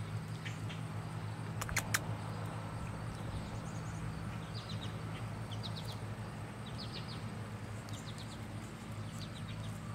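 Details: Tiny Chihuahua puppies from the Daquiri and Bacardi litter give thin, high squeaks in short clusters through the second half, repeated irregularly several times, over a steady low hum with a couple of sharp clicks early on.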